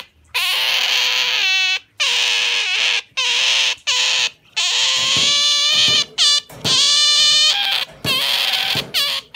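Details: Asian small-clawed otter kept as a pet, holding on firmly to its owner's arm and refusing to let go, uttering a rapid series of shrill, harmonic squeals, some wavering, broken by brief breaths about every second.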